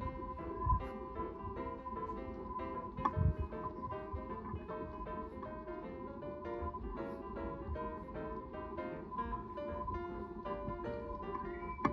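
Plucked guitar and keyboard music plays throughout, with no animal calls.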